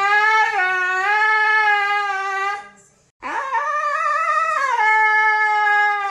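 A Siberian Husky gives two long, sustained howls, each held steady with a wavering, rising-and-falling pitch.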